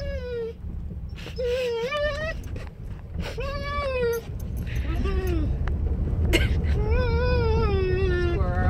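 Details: Pet dog Maggie makes her squirrel noise: a run of short wavering tonal whines and yodel-like moans, some rising at the end, mixed with a person's voice and steady low background hum.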